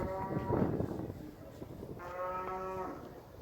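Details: Cows with calves on a farm, lowing twice in a low harmonic moo with a pause between, over steady background noise.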